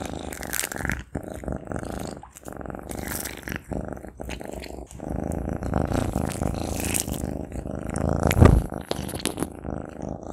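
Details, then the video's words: Maine Coon cat eating sausage, recorded close up: a heavy low rumble dominates, broken by irregular sticky chewing clicks and louder smacking bites toward the end. "Maine Coon Cat Eating Sausage"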